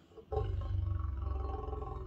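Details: Big male lion growling in the morning while looking through the mesh kitchen window of a bush camp in Southern Africa: a deep, rumbling, sustained growl with a pulsing texture, starting abruptly and holding for about two seconds.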